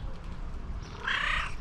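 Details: Mashinka the chatty house cat answers her owner's questions with a loud, drawn-out meow that swells and then fades, following quiet low rumble.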